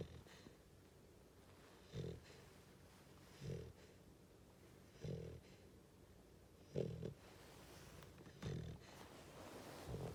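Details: Sleepy female Goldendoodle pup snoring on a person's lap, her first time snoring. Low, rasping snorts come in regular bursts about every one and a half seconds, six in all, against a quiet indoor background.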